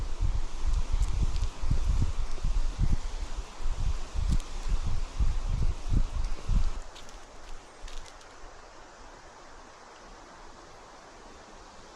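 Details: Loud rustling of leaves and wind buffeting the microphone fill the first seven seconds, then fade to a softer outdoor hiss.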